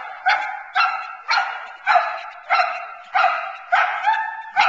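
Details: Boerboel bitch named Teal, nine months old, in protection training, being frustrated off the sleeve to build intensity and focus on the man; loud, harsh barks repeated nearly twice a second in a steady series.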